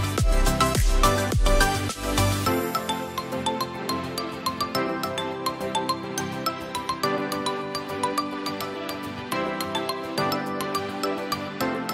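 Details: Loud electronic background music with a steady beat and bright synth tones throughout, and no animal calls audible.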